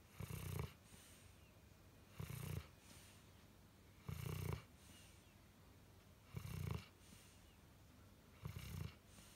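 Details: Sleeping four-year-old dog named Pudding snores steadily, each low, rough, throaty breath lasting under a second and recurring roughly every two seconds against a faint background hiss.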